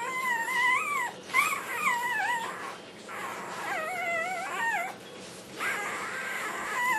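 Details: A black tri Australian Shepherd puppy sings while it eats dinner, giving sustained, quavering howl-like whines that waver and slide in pitch. Long phrases are broken by brief pauses, with some soft noise behind them.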